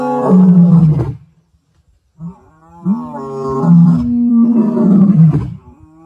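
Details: Two wild male lions, great-grandsons of the Mapogos, roaring at sunset on 9 October 2024: deep, rumbling harmonic roars, a first one lasting about a second, then a pause and a longer, swelling roar of about three seconds.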